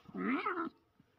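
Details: A domestic cat utters one brief meow, rising and then falling, lasting about half a second, in a quiet indoor room.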